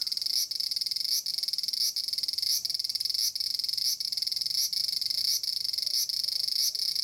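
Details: Large brown cicada (Aburazemi, Graptopsaltria nigrofuscata) in a persimmon tree in Japan, loud harsh sizzling drone high-pitched and continuous, with brief dips roughly every 0.7 seconds giving a pulsing rhythm.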